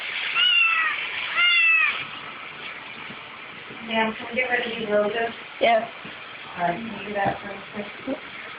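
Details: Bolt, a pet kitten, crying over the dishwasher because it wants to lick the dishes; two loud high harmonic meows with a falling end, then quieter mixed sounds and people talking nearby indoors.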